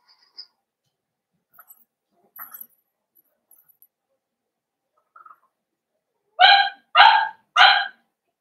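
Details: Blenheim Cavalier King Charles Spaniel puppies, one of a litter of five born at New Year, in a home puppy pen; scattered faint squeaks, then three short high yappy barks in quick succession near the end.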